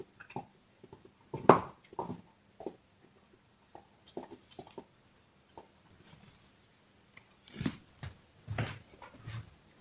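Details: A dog gnawing on a bone, with one loud crunch early on, then irregular softer bites and scrapes and a short hissing rustle in the middle before more crunching.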